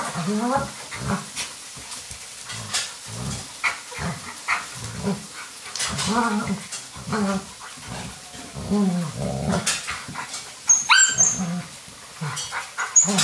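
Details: Alaskan Malamute puppies playing indoors on a rainy day with Finn, a young male, helping mother Deneb raise them; low rumbling growls pulse again and again, with soft scuffling between them and a faint clink near the end.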